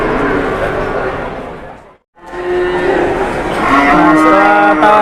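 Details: Enraged cow described as charging while people haggle; lowing moos sound before and after a brief cut, the later ones clearer and layered, over steady background chatter.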